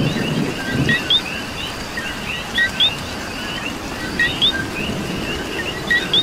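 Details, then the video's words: Many coquis in Puerto Rico calling through rain, one nearby frog giving paired rising chirps every second or two above a busy background chorus and soft falling rain. "Coqui and Rain"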